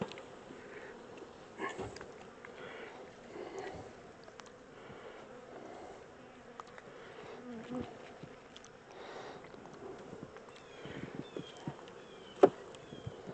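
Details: Honey bees from a caught swarm moved out of a temporary small box into a larger hive; a faint, steady buzz continues under scattered clicks, knocks and a sharp tap late in the recording as the smoker is moved.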